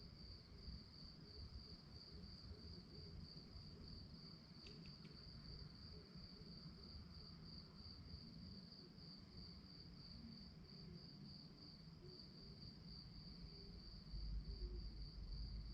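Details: Crickets chirping at night in a fast, even, high-pitched pulse, close to four beats per second, with a brief click near the middle and low rumbling noise rising toward the end.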